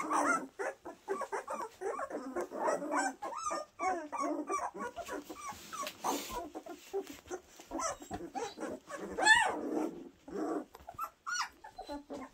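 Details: Litter of April and Enno's puppies, aged two weeks, crying almost without pause: rapid high whines and squeals bunched closely together, with a brief hissing rustle near six seconds and a sharper squeal near nine seconds.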